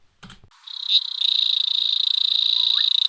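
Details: Natal leaf-folding frog giving a high, rapid, ticking buzz held steadily for over two seconds after a brief click; it sounds much like a brown-backed honeybird.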